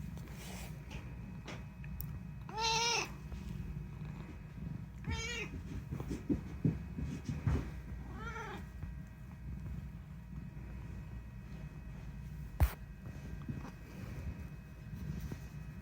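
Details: Unagi, a rescued house cat known for talking, gives three separate arched meows about every two and a half seconds, each rising then falling, with soft handling noises and a sharp click amid low indoor hum.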